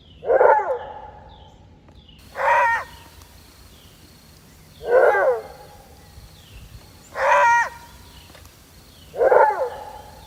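A maned wolf gives loud, hoarse roar-barks, each a short harsh burst repeated about every two seconds.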